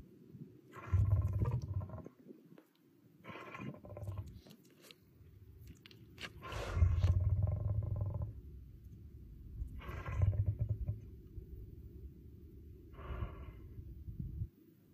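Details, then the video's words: Lion at Glen Garriff Conservation giving deep rumbling roars, low throaty bursts near 1, 4, 7, 10 and 13 seconds, the loudest swelling and fading over about two seconds, with grunting between. "That Roar Rumble hits deep"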